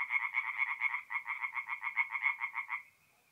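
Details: Tree frogs singing at night at a forest pond in mid-April, north-east Italy: rapid pulsed croaking trains, about four pulses per second, for nearly three seconds, then stopping into near silence with a faint high tone.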